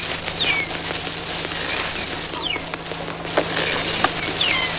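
Pilot whales trade high, swooping whistles that rise and fall, with scattered sharp clicks between them.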